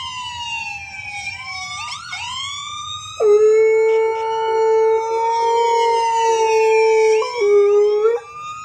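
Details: An eight-month-old male Golden Retriever howls in long, steady, mid-pitched notes at a wailing siren playing in a video he is watching.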